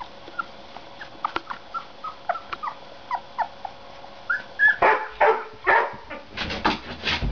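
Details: Puppies give soft, short high whimpers spaced roughly every half second, then louder, broader yelping bursts build over the final few seconds.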